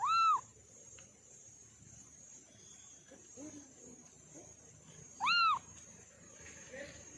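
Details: Orange kitten giving two loud, short, up-and-down meows about five seconds apart, with soft murmuring and low background rumble between them and a steady faint hiss.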